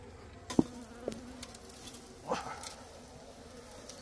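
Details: A steady insect drone comes from small bees nesting inside a hut, holding a low hum with an overtone throughout. A few sharp knocks and a short scraping rustle sound in the first half.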